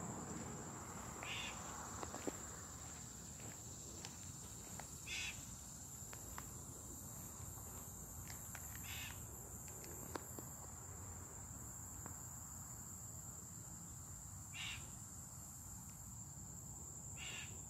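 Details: Cicadas on July 18th, 2023: a steady, high, unbroken drone runs through the whole recording, broken by short rasping bursts every few seconds, with soft rustling footsteps and other faint sounds beneath.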